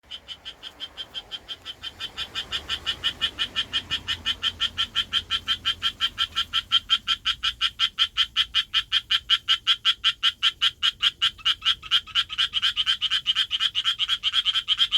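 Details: Japanese tree frog calling for a mate in the city, its vocal sac swelling like a balloon with each call: a long run of rapid, raspy pulsed croaks, about three per second, building louder over fifteen seconds.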